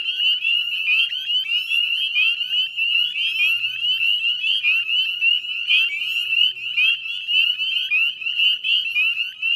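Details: Spring peeper chorus from the Chezzetcook salt marsh, Nova Scotia, recorded at 9:08 p.m. at dusk in mid-May 2020; countless sharp upslurred peeps overlap into an unbroken piercing wall of sound, roughly one loud peep per second standing out.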